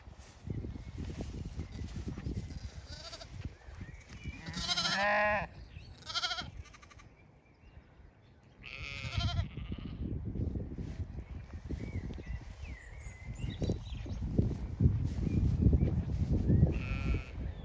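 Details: Zwartbles sheep, the ewe Ebony with her two lambs, grazing a sunny pasture on a regenerative farm in County Kilkenny, Ireland, in a cool breeze; several wavering, harmonic bleats come in short bursts midway, over steady wind rumble and faint bird chirps.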